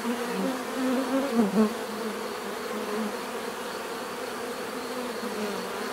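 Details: A close bee rises and falls in pitch around the second mark before the steady collective buzzing hum of many bees carries on evenly.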